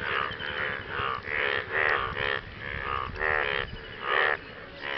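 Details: Post-rain frog chorus calling for mates: reedy, strongly harmonic croaks pulsing in short bursts, two or more frogs trading calls at an uneven rhythm, some notes brighter and higher, with a soft background drone.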